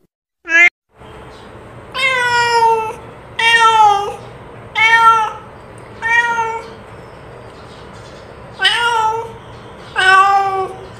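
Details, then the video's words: Domestic village cat calling its companion: a short yelp, then six insistent meows, each under a second long, with a slight rise and a falling tail, spaced roughly every 1.5 seconds in a quiet room. "Suara Kucing Kampung memanggil Temannya"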